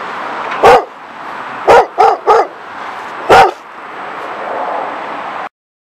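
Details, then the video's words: Two German Shepherd dogs in a yard, filmed from the street, give deep, gruff barks, single and in a quick run of three, over a steady background hiss. "Two German Shepherd Dogs Barking [HD]"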